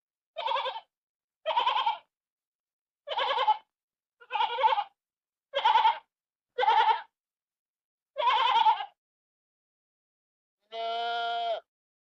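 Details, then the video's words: Farm sheep bleat in a run of seven short quavering calls roughly one second apart, followed after a pause by one longer, smoother, steadier bleat. "Ovelhas criação de ovelhas som das ovelhas fazenda de ovelhas e ovelha berando"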